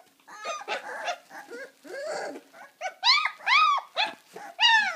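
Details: Deutsch Drahthaar dog vocalizing: a rapid run of high, arching whines and yelps, some clear and tonal, others rough, rising in strength toward the end, with short gaps between calls.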